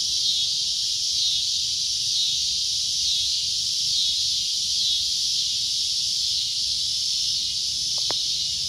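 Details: Loud shrill cicada drone, continuous and high-pitched, keeping an even buzz throughout; a brief faint click sounds near the end.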